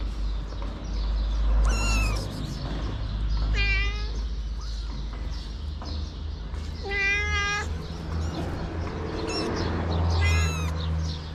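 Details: Homeless mother cat with her kittens: four meows spread across the clip, some short and high, others longer and wavering, over steady low traffic hum.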